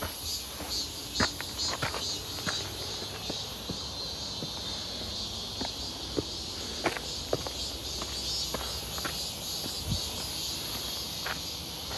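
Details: Midsummer cicadas near Seonbawi, 1 August 2023, on a clear hot day during a walk: a steady shrill hum fills the background, while uneven footsteps and scattered clicks sound closer.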